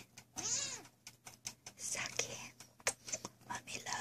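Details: A Sphynx kitten gives a high, thin meow with a rising then falling arch, meowing back amid its owner's soft, affectionate talk.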